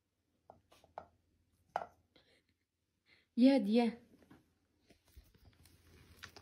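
A Siberian Husky lets out a short, warbling 'talking' sound, its pitch bending up and down like a sung phrase. Soft clicks and taps from a small room surround it.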